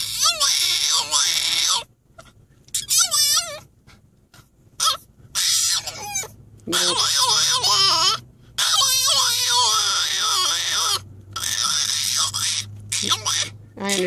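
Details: A French Bulldog kept in a crate or carrier during a car ride whines and grumbles in wavering, high, yodel-like bursts, protesting the ride: French Bulldog.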